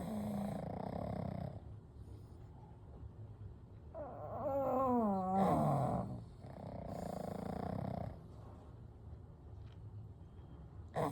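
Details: Three pugs, Kou, Gen and Shun, sleeping together: soft rasping breaths in slow cycles, then a loud wavering, whistly wheeze mid-way before the quiet breathing returns.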